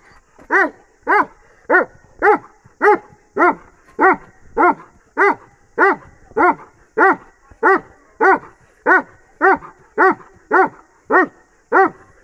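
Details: Bully and Dogo Argentino cross dog barking steadily, about twenty loud arched barks at a quick even pace of nearly two per second, each with rich stacked harmonics, over a quiet background.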